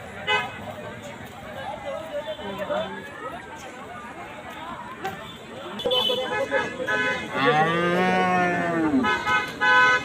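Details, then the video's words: Cattle at a cattle market during 2023: one long harmonic moo, rising then falling, around the eighth second, over crowd chatter, shouting and traffic noise. "hamba goru গরু হাটে"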